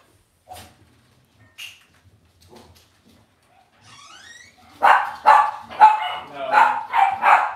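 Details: Cavalier King Charles Spaniel puppies in an indoor home puppy pen on a livestream: quiet bumps and a few faint squeaks, then from about five seconds a run of clear, sharp yipping barks about every half second.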